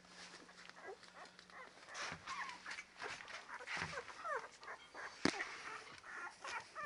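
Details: Labrador Retriever puppies, ten days old, giving soft high whimpers and squeaks, curved tonal cries rising and falling, several overlapping, with rustling and a sharp click near the end.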